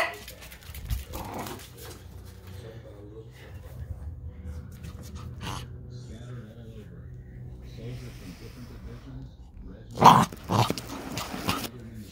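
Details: An 11-week-old female Pembroke Welsh Corgi puppy playing under furniture makes soft, wavering growls and whimpers, with a voice in the background.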